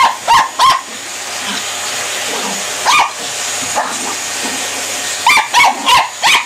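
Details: Small Border Terrier giving short, sharp barks in pairs and then a run of four near the end, each bark bright and yappy, all over a constant rushing hiss like a household appliance running nearby.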